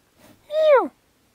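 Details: Bull elk during the autumn rut, one of many bulls encountered: a single short note, arched and falling, clear and whistled with strong overtones, preceded by a faint murmur; otherwise quiet.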